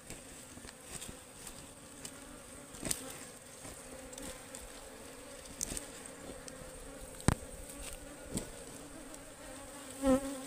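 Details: Honeybees (ligwan) at a wild beehive being harvested in the forest: a steady low drone holds throughout, with occasional sharp knocks and clicks from the handling.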